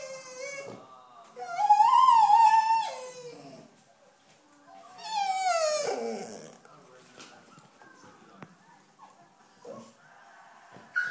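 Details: A 2-year-old female Airedale Terrier watching a TV documentary of African wild dogs gives high, wavering whining howls that swoop up then slide down, seemingly calling to the pack.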